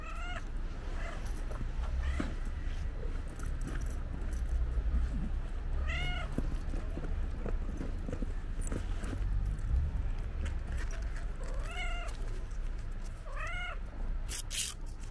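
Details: Stray female cow-patterned cat meowing repeatedly at the sight of her feeder after waiting in the same place: five or six short, rising meows spaced a few seconds apart, over a low outdoor rumble with scattered clicks and scuffs.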